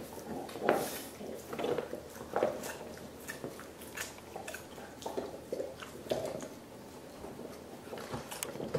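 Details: A dog from a group of five chews a soup bone for dental care, making moist slurping squelches and crunches every second or so, with quieter gnawing in a small room.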